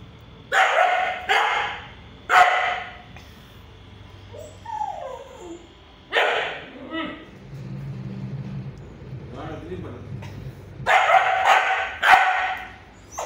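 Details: A 3-month-old Siberian Husky puppy, described as aggressive, gives sharp, yappy barks between low, rumbling puppy growls.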